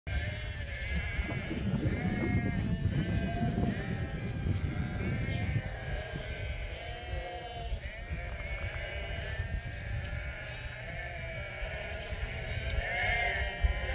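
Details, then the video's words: Hundreds of local Merino sheep on a farm bleating in greeting. Many overlapping wavering bleats run continuously, over a heavy low rumble that fades after the first five seconds. "Hundreds Of Local Merino Sheep Saying Hello"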